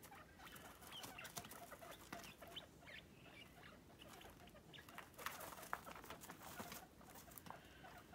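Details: Guinea pigs running about their playpen, lively and energetic; brief chirpy squeaks and clucking sounds pop up here and there amid busy shuffling, scratching and clicking noises from movement.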